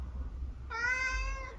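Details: A single long, steady meow from Eric, a talkative 12-year-old tabby cat in the UK, holding a level tone for nearly a second inside a quiet room.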